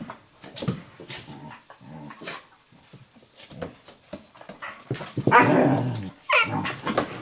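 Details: Two domestic dogs, an 11-week-old Eurohound puppy and a 4.5-year-old Nova Scotia Duck Tolling Retriever, play wrestling on a kitchen floor indoors; short scattered growls and whimpers, with a louder, rougher burst of growling near the end.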